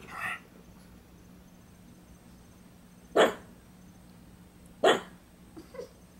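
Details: A pug holding a toy in her mouth gives a few short, muffled barks spaced a second or two apart, alerting to someone she thought was at the door.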